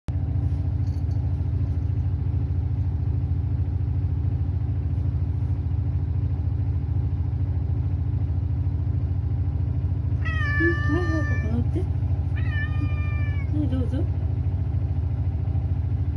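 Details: Sacchan, a male rescue cat living at Kazano Kobo, calls loudly to be let outside over a running washing machine, though rain makes him hesitate. Two drawn-out, harmonic-rich meows arrive near the end, set against a constant low mechanical hum.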